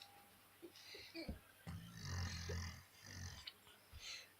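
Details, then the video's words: Black German Shepherd snoring: a low, rough rumbling snore that swells for about a second, preceded by shorter low snorts, with faint voices and background noise around it. "Чёрная овчарка храпит"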